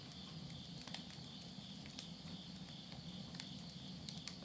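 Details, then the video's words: Insects at midnight at the end of summer, September 2020, in the countryside of Yurihama, Tottori, Japan, beside a wood stove: a steady high trilling hum, with crackles and pops of burning wood over a low rumble. "the voice of insects"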